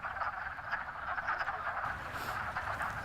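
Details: Wood frogs gathered in a vernal pool, a woodland puddle that dries in summer, at the end of winter; a dense, continuous clucking chorus that many people take for ducks, steady throughout with no pauses.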